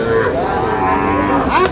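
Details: At the start of the day's buying and selling at Aftabganj market, Dinajpur, a Sahiwal bull calf lets out a short, level moo that bends upward at the end, with the busy market hubbub behind it.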